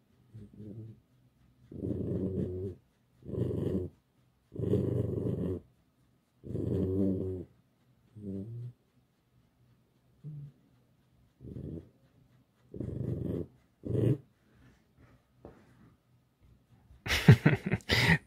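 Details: Pet fox Alice complains indoors as she is stroked: a long run of short, low, rasping growls and whines, irregularly spaced, fading to softer grunts, ending in a loud, broadband rustling burst.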